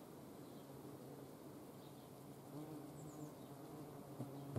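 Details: Low, humming drone of hornets flying close to a camera during hand feeding in the Eifel, the buzz thickening and getting louder toward the end.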